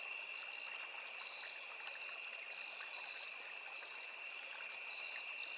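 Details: Forest crickets by a small river form a continuous high-pitched drone, two layered tones holding level without pause, while gentle stream babble fills the lower background.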